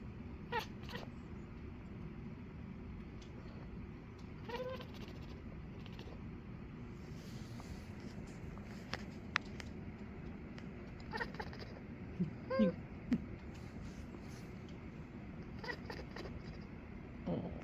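A Maine Coon cat gives a few soft, brief chirps over a steady low household hum.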